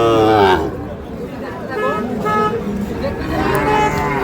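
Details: Sahiwal bull calves at Ambari cattle market, Parbatipur, Dinajpur, Bangladesh, on 30 March: a short harmonic moo opens, a softer lowing sound returns near the end, with bargaining voices and market chatter throughout.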